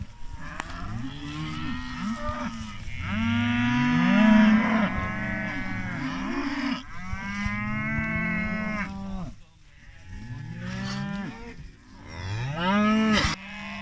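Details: British Friesian maiden heifers, 25 animals, lowing steadily: repeated deep, drawn-out moos, several animals answering each other, each call rising and then sliding down, with short pauses between.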